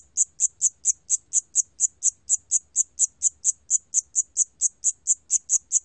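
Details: Rapid, regular high chirps of a Siam cricket, National Institute of Biological Resources recording from 2020, about twenty-five in six seconds, clean and even over a faint low hum.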